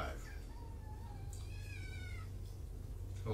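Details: Shelter kitten indoors at Purrfect Pals, one of five from two Tacoma litters. A soft low mew slides into a higher, wavering meow that falls away, over a background hum, as a live stream begins.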